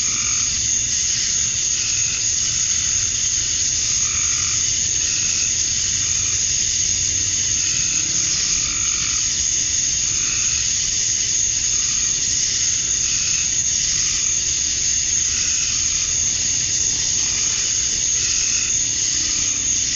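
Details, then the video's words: A continuous high, hissing chorus of male cicadas calling for females on a summer evening at dusk in Georgia, USA. Faint short mid-pitched notes recur every few seconds beneath the steady shrill buzz. "Cicadas at Dusk, Summer Night"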